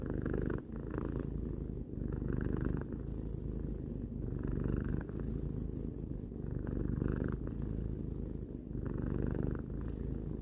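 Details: Three-year-old pet cat purring continuously: a deep, vibrating rumble made of fast regular pulses, rising and falling in alternating breath cycles roughly every one to two seconds, with short quiet gaps at each turn.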